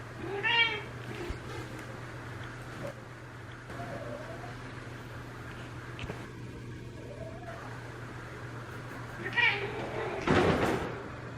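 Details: Elsa, a year-and-a-half-old female Ragdoll in her first heat, day three, calls sweetly toward a neutered boss male in a multi-cat home: a clear harmonic meow opens, faint mews follow, another meow near the end, then a loud bump.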